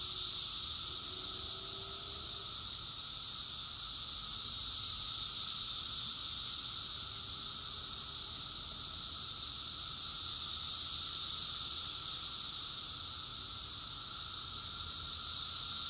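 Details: Rockville, Maryland, June 2021: a summer cicada chorus forms an unbroken, piercing electric-sounding whine, nearly level in loudness throughout, with a faint low hum beneath.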